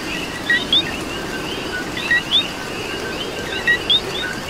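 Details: Coqui frog in Puerto Rico, calling in the rain: a clear two-note co-kee, a short lower note then a higher upswept note, repeated about every 1.6 seconds over a chorus of distant coquis and steady rain hiss.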